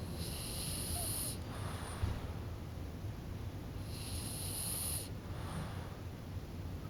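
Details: French Bulldog named Kokubo nodding off and snoring. Two long, hissing, wheezy breaths lasting over a second each, spaced nearly four seconds apart, with low steady room rumble beneath.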